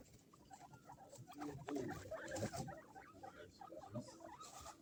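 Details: Baby guinea pigs in a pet shop that specialises in guinea pigs in Sapporo, Hokkaido, Japan. Quick, irregular squeaks and chattering run over the whole stretch, about three per second, with rustling from the animals.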